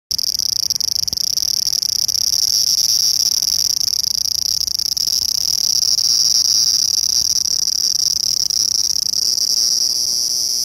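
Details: Large brown cicada, Graptopsaltria nigrofuscata, recorded 18 August 2020: a steady, loud, sizzling hiss like hot oil spattering, unbroken for the whole stretch, high and bright with no pauses.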